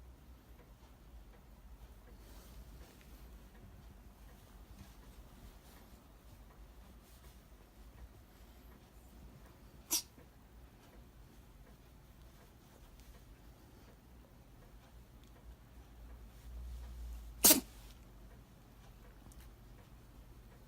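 Two short, explosive sneezes from a Shiba Inu break an otherwise quiet indoor stillness, the second a little louder than the first. Between them only a faint low room hum can be heard.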